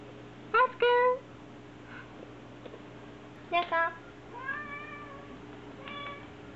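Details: Indoor black kitten siblings Hachi and Nana, fostered, peeking from a fusuma sliding door; several bright high meows in short bursts, some doubled, with a longer rising-falling cry near the end, steady background hum.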